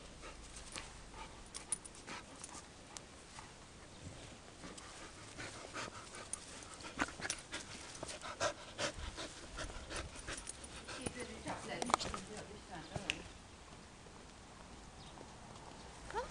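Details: A beagle playing in a backyard, panting and snuffling with soft breathy bursts throughout, scattered clicks and rustles of movement on the ground, no clear barking.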